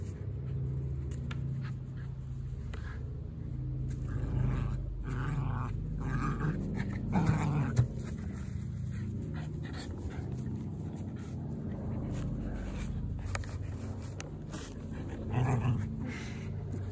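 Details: Border Terrier Chewy, a young dog, playing with a blueberry cardboard box, shaking and attacking it, in Victoria, BC, Canada; rapid rhythmic panting about four breaths a second mixed with low growls and rustling cardboard.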